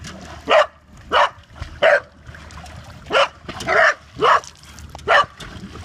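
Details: Corgi barking indoors: eight short, sharp barks in quick succession, spaced about half a second to a second apart, each loud and clipped, with faint room noise between them.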